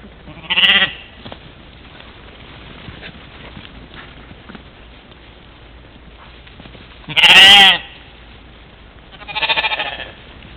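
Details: Mouflon herd during morning play at a waterhole, Czempiń forestry, Wielkopolska, Poland, recorded by trail camera on 13 July 2018; three separate tremulous bleats spaced several seconds apart, the middle one loudest, against a quiet background.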